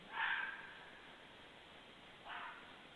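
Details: Fox barking at night at 23:51 on 2 January 2014, after a group passed: two short, harsh, mid-pitched barks about two seconds apart, the second fainter, over a soft hiss.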